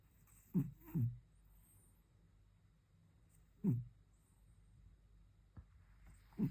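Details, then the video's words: Domestic cat sleeping very deeply and snoring: short low rasping snorts, a pair close together, then single snores about every three seconds, over a quiet indoor hum. "Кот очень крепко спит и храпит"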